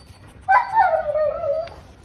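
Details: French Bulldog giving a single drawn-out whimper, about a second long, that starts higher and slides downward in a tonal, nasal whine, over a quiet background.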